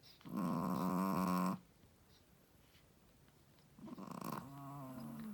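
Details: A female Shih Tzu, a first-time mother, snores loudly: two buzzy, rattling breaths a few seconds apart.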